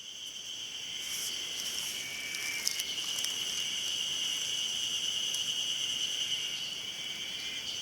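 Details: Ezo-haruzemi cicadas singing on Mount Hayama, Nagai, 24 May 2015: a dense, continuous high buzzing chorus with steady shrill bands, faint ticking and rustling over it, no pauses.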